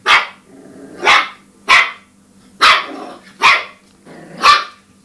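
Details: Cairn Terrier at home going after the dishwasher, giving six harsh, forceful barks about once a second, each a short broad burst, over a low steady appliance hum.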